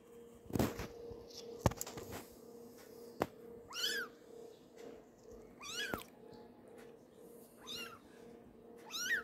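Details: Kitten about one month old, indoors, giving four short high mews spaced roughly every two seconds after some knocks and clatter at the start; a steady low hum runs underneath throughout.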